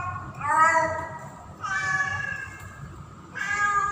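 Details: In mating season a female house cat in heat, Pretty, yowls for a male: three long, level, tonal meows, each about a second, spaced by short quiet gaps over low background rumble.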